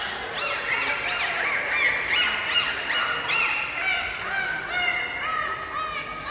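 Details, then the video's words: Captive bottlenose dolphins at a Dubai dolphin show give loud, squealing whistles that arch up and down and overlap in quick succession. "డాల్ఫిన్స్ అయితే ఏ రేంజ్లో అరుస్తున్నాయో చూడండి."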